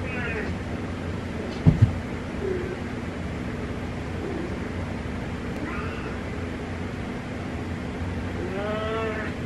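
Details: Cat meowing in the darkness: three drawn-out, wavering meows spaced several seconds apart, the last longest and clearest, over a steady broadband hiss and low hum, with two sharp knocks near two seconds.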